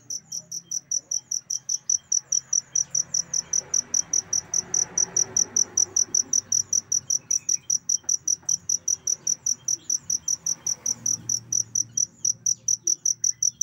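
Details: Cricket chirping, kept as a tutor sound to complete a pet songbird's singing: a steady run of short, high, bright chirps about two and a half per second, with a faint low rumble and hiss beneath.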